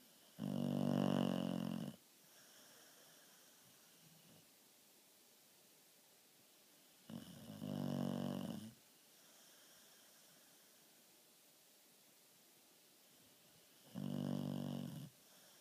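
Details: A dog snores while asleep, three long rasping breaths about two seconds each, spaced roughly six to seven seconds apart, low and rattling, with near silence between them.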